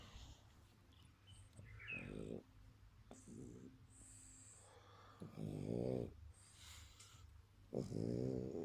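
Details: Sleeping dog snoring: soft, rasping, low breaths in uneven bursts, a few louder rattling snores about two seconds apart near the end, over faint room noise.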